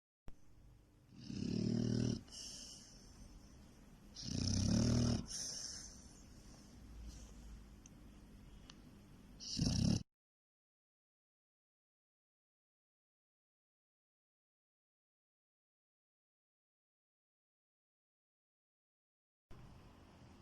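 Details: An American Bully pocket dog, described as lazy, snoring while asleep: loud rasping breaths in bursts about every three seconds for ten seconds, then silence before a faint return near the end.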